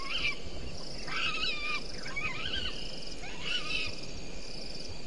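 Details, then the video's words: At 04:35 beside a waterhole on Djuma Game Reserve in South Africa's Sabi Sand, a bushbaby gives four rough wailing cries with wavering pitch, spaced roughly a second apart, partly masked by a constant background hiss and low rumble. "Is that Bushbaby audio again?"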